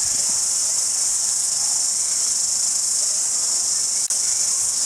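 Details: Cricket chorus recorded in February 2010 at Jelly Park, Christchurch, New Zealand: a continuous, even, high-pitched hiss-like trill holding constant for several seconds, with one brief click near the end.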